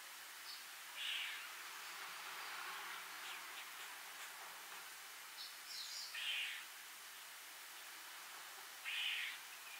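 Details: A squirrel up in a tree, calling with its mouth full, gives short, sharp, high, scratchy chips several seconds apart, an angry-sounding call at first mistaken for a bird. Fainter chirps sit between them over a steady hiss.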